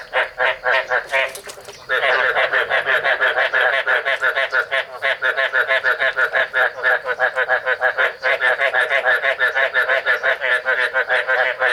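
Male Chinese edible frogs give rapid, repeated croaking calls to attract females during breeding.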